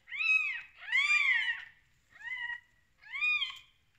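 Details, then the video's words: Just-born kittens, first day after the mother cat gave birth, give four clear rising-and-falling mews within four seconds. The second mew is the longest and loudest. "Baby kittens first day in life"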